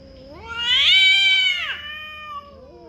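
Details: Cat yowling while fighting over territory: a loud, drawn-out wail that climbs steeply in pitch, holds a bright high note, then slides down into a softer, lower tail.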